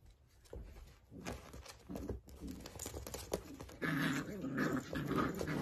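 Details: Dachshund indoors, with scuffling and shuffling noises at first, then a run of short, tonal whining or groaning notes repeated about every half second in the final two seconds.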